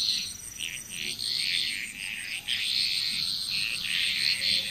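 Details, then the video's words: Frogs calling together in Bali, Indonesia, a dense layering of short rattling croaks that swell and fade in uneven clusters, backed by a constant thin high-pitched insect drone. "Frog Chrous"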